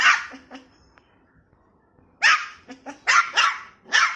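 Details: Snow-white puppy protesting at being placed on a height, barking angrily. One bark opens, a quiet pause follows, then a rapid run of five or six shrill yaps with a few softer yips between.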